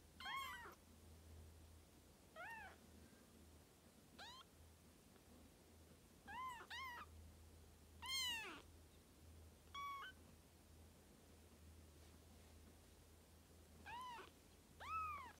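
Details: Three-week-old Birman kittens give thin, high meows, about ten arching calls that rise then fall, scattered irregularly with gaps of one to three seconds, over a steady low hum.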